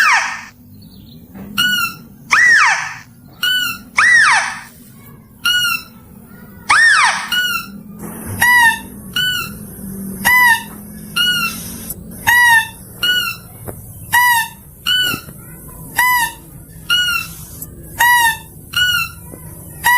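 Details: Mouse-deer call for luring: after a few broad swooping squeals, a long steady run of short, shrill, squeaky notes in pairs, repeated roughly once a second, with a faint hum underneath.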